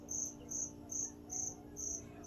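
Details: Loud cricket concealed somewhere in a store on a September morning, 2025: five crisp, high chirps spaced evenly about half a second apart, with a low steady hum beneath.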